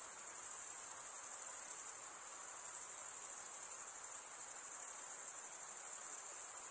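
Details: Chirping crickets give a constant high, rapidly pulsed trill at an even volume from start to finish, a smooth insect drone with nothing else heard.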